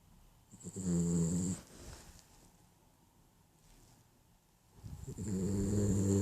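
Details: Sleeping, dreaming dog snoring: two loud, low rumbling snores with a buzzy, layered tone and a hissy upper edge, separated by a few seconds of quiet breathing.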